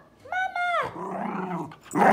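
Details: Miniature schnauzer answering its owner in a back-and-forth exchange: a rising, nasal whine that flattens and falls off, then a lower, rough grumbling murmur, ending in a short noisy burst.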